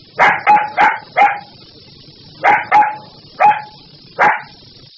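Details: A puppy gives eight quick, bright barks, mostly in pairs and threes with short gaps between bursts. A constant high-pitched hum runs underneath.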